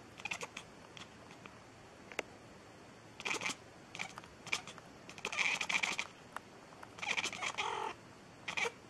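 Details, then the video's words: Cat meowing nonstop, a few drawn-out mews rising from crackly, scratchy bursts of noise indoors. "Cat Meowing Funny , Non Stop"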